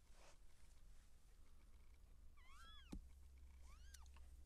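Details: Seal point Siamese cat during labour as kittens are born: two arched, harmonic mews about a second and a half apart, separated by a sharp click, over a constant low hum.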